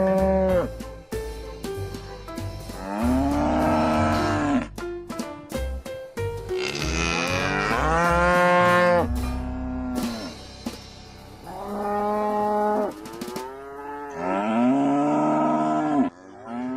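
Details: Cattle lowing: about four long, harmonic moos, each one to two seconds, swelling and then sliding downward, spaced a few seconds apart over a steady background music bed with a rhythmic beat.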